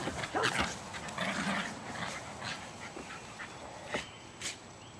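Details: Jasper and Jaclyn, two almost 2-year-old Jack Russell Terriers, play fighting and chasing in a freshly sodded backyard in Colony Woods, Lenexa, Kansas, on 5/5/09; scattered short noisy growls and yips, with a few louder bursts.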